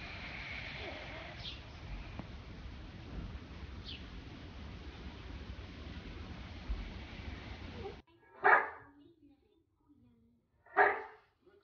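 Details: Pug dog giving two short, loud barks roughly two seconds apart, following a long stretch of steady background hiss with no animal sound.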